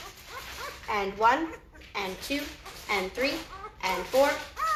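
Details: Noisy litter of Great Bernese puppies, five days old, indoors: arched, rising-then-falling whimpers come in bursts roughly every second, with brief quiet gaps between them.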